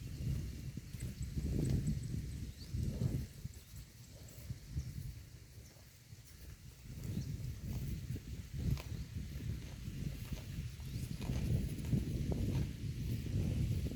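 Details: A herd of cows eating grass in lush pastures gives continuous low chewing and ripping noises, pulsing in irregular bursts with a quieter stretch midway, then busier munching again.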